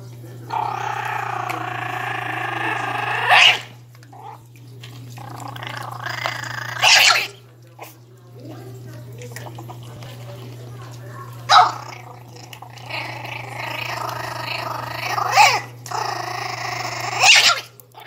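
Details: A 60-day-old Pinscher puppy gives long, high, gargling growls in bursts of a few seconds while guarding its food.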